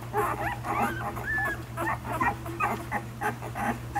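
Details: Nursing pups one week old with mother Savannah: a run of high, wavering squeaks and short whining whimpers, some sliding upward, over soft shuffling and a constant low electrical hum.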